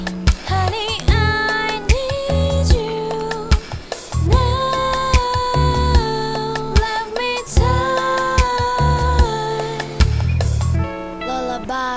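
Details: Sung music with a sustained melodic voice over a steady instrumental backing, no animal sounds.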